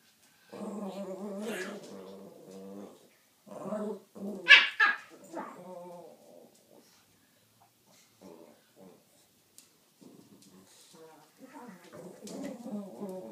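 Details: Two Pekingese dogs growl in play, with rumbling harmonic growls broken by a sharp yap.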